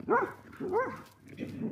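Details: Ely, a very watchful, territorial female Galgo Español acting as a guard dog, gives two harmonic barks about 0.6 seconds apart, followed by softer, lower huffs; a woman's voice says a word just before.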